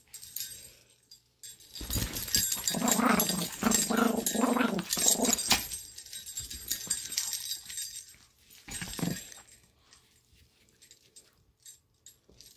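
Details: Playful growling from Lady, a pet Chihuahua, indoors: a sustained rough growl runs for several seconds with pulsing low rumbles, then a shorter growl burst, fading into quiet rustling.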